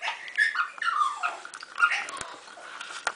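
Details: A bulldog whimpers indoors while choosing a toy, giving short thin tonal whines that rise and fall, scattered over three seconds between soft rustling and handling noises.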